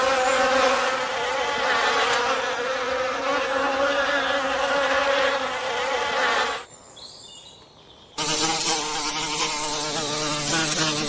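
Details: Forest bees at work making honey: a loud, continuous droning buzz, broken by a short near-silent gap around the middle before the humming resumes just as dense.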